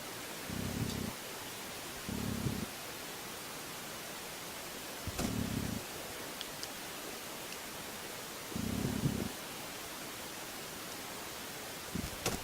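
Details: A hairy cicada in Tasmania, held on a finger and clinging to it, 'purrs' with short, low, buzzy bursts, each about half a second, spaced a few seconds apart.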